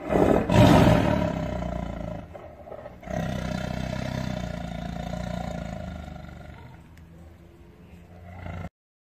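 A tiger gives a deep, rumbling roar that opens with a loud burst and then trails off.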